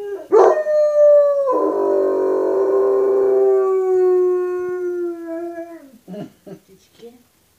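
A German Shepherd gives a long, wavering howl that slides slowly downward before breaking off.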